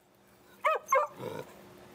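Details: Excited pet Beagle at home during a trick session of sit, paw and other commands: two short, sharp yips about a third of a second apart, followed by a softer, lower whining sound.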